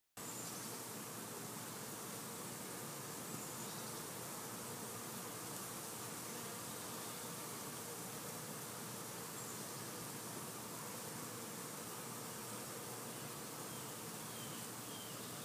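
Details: Bees busy on a summer day, a dense, steady drone that holds without break across the whole stretch, broad and hissy with no clear rhythm, as if many insects are working together close by.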